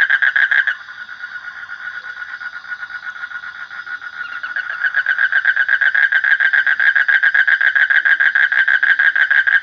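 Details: Close, loud frog calling in quick rasping pulses. After a brief drop in the first seconds, the call builds into a long, regular, rattling series that continues to the end, with a quiet background.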